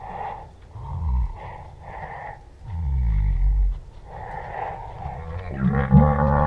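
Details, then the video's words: Southern white rhinoceros recorded in the South African bush, tussling with a rival for dominance: deep rhythmic grunts and heavy breathing, low rumbling groans swelling in repeated pulses, ending in a louder gurgling roar. "White Rhino Sound - Grunts, roar and breathing sounds."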